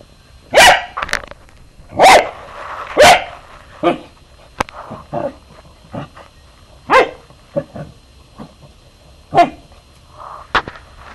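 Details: Three-year-old pet Corgi barking while playing with a slinky: sharp, loud barks come in irregular bursts, about six strong ones spread over eleven seconds, with softer short yips and yelps between them.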